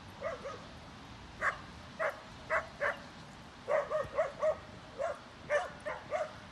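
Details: Barking during play at a dog park on a snowy day, where Molly and a six-month-old Boxer puppy romp in wet snow: sharp, high yips come in quick pairs and singles, with a dense run in the middle.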